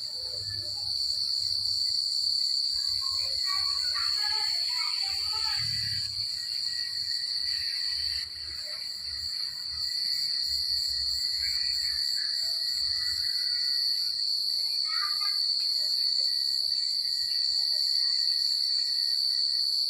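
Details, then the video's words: Crickets chirping on a secluded country night: a dense, unbroken high-pitched trill rings steadily throughout, while fainter scattered chirps and warbling notes come and go in the middle range around the fourth to sixth seconds. "The Sound of Crickets at Night"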